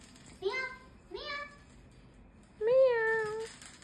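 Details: Female domestic cat in Leicester, meowing indoors after being prompted to say meow again. Two short meow-like calls come first, then a louder, longer meow that rises and then trails off.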